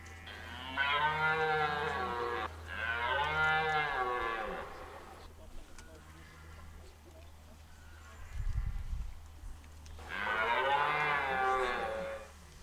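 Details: Rutting red deer at Hoge Veluwe park in 2023, where rangers feed the deer apples at set spots: three long, rich bellowing roars, each about one and a half seconds, with a steady low hum and a dull thump between them.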